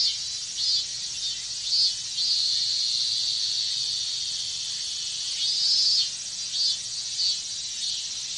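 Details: Minmin cicadas in a loud Japanese summer chorus on a hot day: a dense, high buzzing drone that swells into brighter surges near one, two and six seconds, with steady shrill texture between the peaks.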